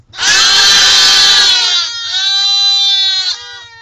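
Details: Baby goat bleating loudly; one long harsh, strained baa lasting about two seconds, then a clearer, steadier tonal bleat that wavers briefly and cuts off, with faint background hum.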